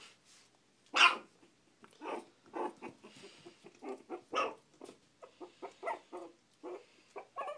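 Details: Playful four-week-old Shih Tzu puppies in a small room: one loud high yap, then a quick series of small squeaky barks and yips, several per second, with quieter growly notes between.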